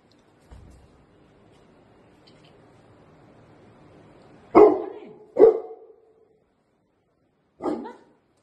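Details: Pet Labrador Retrievers, two dogs happily greeting their owner as he returns home after three days away. A few seconds of near quiet with a faint low hum are followed by three sharp, loud single barks, the last one after a short pause.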